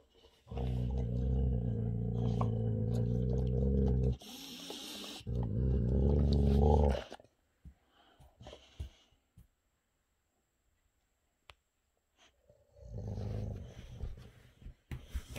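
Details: Big brother Rex, a Boxer, irritated by younger Boxer Sammie while eating a special treat, gives sustained deep rumbling growls, two long stretches then a shorter one after a quiet pause, indoors with faint clicks and snuffling.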